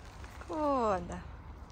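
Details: Small wolf pups playing with Bratish: a single short whine lasting about half a second, sliding gently downward in pitch with clear stacked harmonics, set against a quiet, low background rumble.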